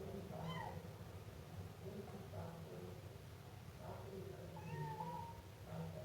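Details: Siamese kitten meowing indoors: a handful of short, thin, high meows, some rising and falling, spaced irregularly over a low steady background hum.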